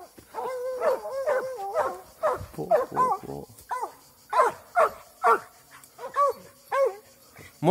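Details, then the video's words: Eight-month-old Plott hound barking during a wild boar hunt: a run of loud, harmonic, ringing bays, some drawn out and wavering, repeated roughly every half second to second, with faint voices in the background. "plott hound 8 μηνών"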